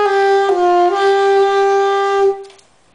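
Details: A trombone holds a steady brass note for over two seconds, dipping briefly in pitch near the start, then fades into near silence.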